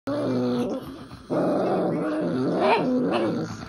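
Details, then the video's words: Tibetan Spaniel grumbling indoors during grumble time with a pug: a continuous low, throaty growling drone with a brief dip near one second, then rising whiny inflections toward the end; a person exclaims afterwards. "Tibetan Spaniel and Pug - Grumble time"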